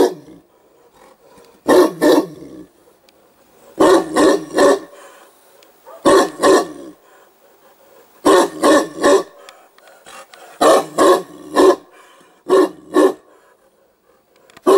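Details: Newfoundland dog barking at a hedgehog it has spotted, loud deep barks delivered in quick clusters of two to four, separated by short pauses over about fifteen seconds.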